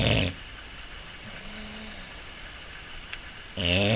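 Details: English Bulldog snoring: a loud rasping snore at the start, then quiet breathing and a short faint grunt, then another loud harsh snore near the end.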